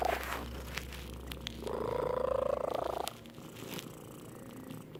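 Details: Purring house cat: a single sustained, even hum of about a second and a half rises out of a noisy indoor background, with scattered clicks and a low steady drone.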